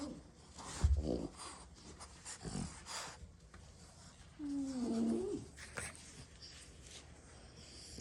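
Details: Napping after hard play, six French Bulldog siblings snore in a small room; rough low breaths start it, then a high, wavering whistled snore rises and falls for about a second in the middle.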